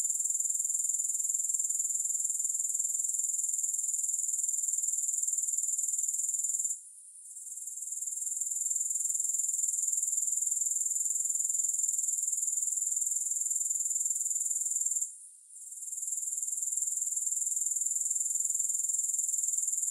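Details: Continuous shrill pulsing of grasshoppers, roughly four beats per second, cut by two short gaps near seven and fifteen seconds before resuming at the same steady pitch; no music.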